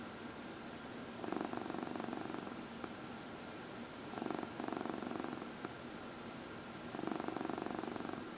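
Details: Domestic cat purring while being massaged, one of four cats in a home that includes senior cats adopted from the Humane Society of New York City; three steady pulsing purr bursts, each about a second long, separated by quiet pauses, in a quiet room.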